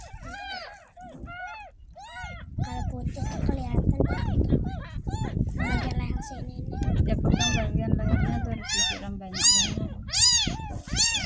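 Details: Ten-day-old kitten, found in a gutter in front of a house, getting its very first bath: a long run of high, arching mews, roughly one a second, over running water and a woman's voice giving washing instructions.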